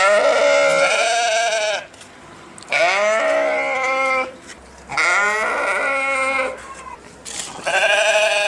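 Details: A sheep giving four drawn-out, nasal bleats at steady intervals of roughly two seconds. Each one has a shaky, trembling quality and a slight rise at its start.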